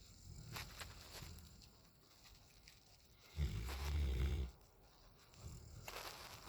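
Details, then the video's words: Raiden, a nine-month-old male Alaskan Malamute asleep on a back patio, lets out a single deep, rumbling snore lasting about a second, set between quieter breathing and faint outdoor hiss. "9 Month Old Malamute; Raiden snores like his Dad"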